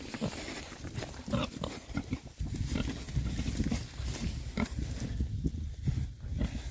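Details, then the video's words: Rare-breed Oxford Sandy and Black boars, a group of six, enjoy a winter forage between storms: a steady stream of low, rough grunts and oinks mixed with rooting, chewing and heavy low-pitched background rumble. "rare breed Oxford Sandy and Black, happy pigs, winter forage. 6 boys. ASMR oinks."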